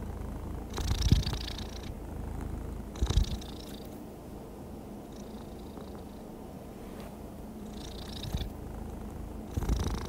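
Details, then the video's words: Contented cat giving a soft, even purr, a deep continuous rumble with faint airy swells as it breathes in and out about every two to three seconds; quiet room. "Happy cat purring smoothly comforting sounds"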